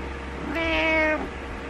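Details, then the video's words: A single drawn-out, level meow from Butters, a cat wanting its owner to wake up and get up. A constant low hum runs underneath. "My Cat Wants Me Awake"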